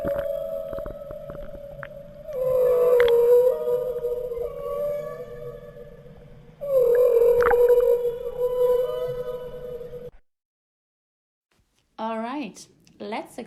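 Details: Whale calls from Monterey Bay, California: long, steady tonal moans held for several seconds, followed by a quick series of sweeping, wavering calls.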